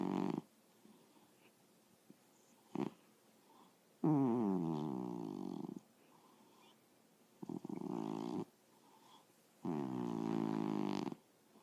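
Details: Sleeping cat snoring: long, rasping, droning breaths of one to two seconds each, separated by quiet pauses of a few seconds, in a calm indoor setting.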